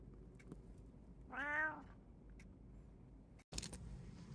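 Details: One of three house cats, a short-legged munchkin, an abyssinian or a brown tabby, at home in August 2024, gives a single short, clear meow that rises and falls briefly, followed by soft room noise and a click.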